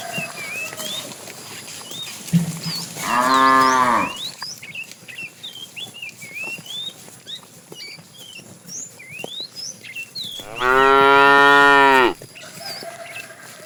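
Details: Tame herd cow in the afternoon, fat and calling for the female, lets out two strong droning moos about seven seconds apart; bright chirping birds and faint rustling fill the gap.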